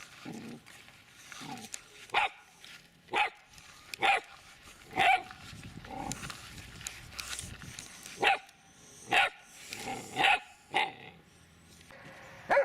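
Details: Dobermann, shown as puppy and adult, named Mayhem Der Biss Von Einherjer, barking in short sharp repeated bursts at irregular intervals, roughly once a second, with quieter background noise between barks.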